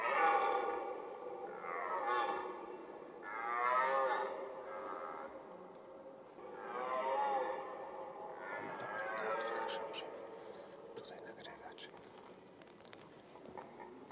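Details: Red deer stag roaring during the rut, the autumn mating season: a series of long, hoarse, harmonic bellows that swell and fade in four or five bouts a few seconds apart, with faint rustling and distant noise behind.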